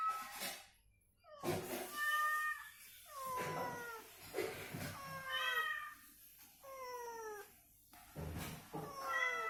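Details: Domestic cat recovering from illness, indoors, answering played cat sounds that are meant to rouse it to move and vocalize. Repeated drawn-out meows with falling, harmonic-rich pitch come in quick back-and-forth exchanges, with short gaps of near silence.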